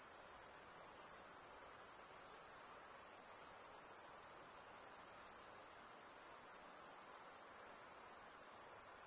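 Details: Over nine seconds, insects keep up a shrill, high-pitched trill at an even level with only slight dips, backed by a soft hiss and no other sounds.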